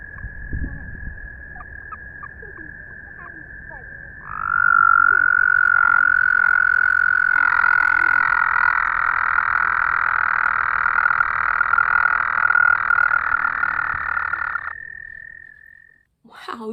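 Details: A toad recorded calling in a forest gives a long, steady, musical, chirpy trill held on one high pitch for about ten seconds, its throat inflating like a balloon.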